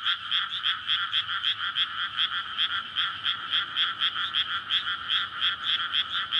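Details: Frogs calling for courtship in a water-filled paddy field at night in May, beside a road and houses, recorded on a PCM recorder; many voices pulse together in fast rattling croaks, a continuous throbbing wall of sound.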